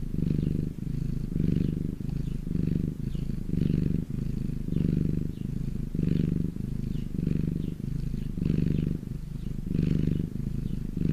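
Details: Sunbathing house cat purring at close range: low, vibrating rumble pulsing in breath-length waves about once a second, alternating slightly between inhale and exhale, otherwise quiet surroundings.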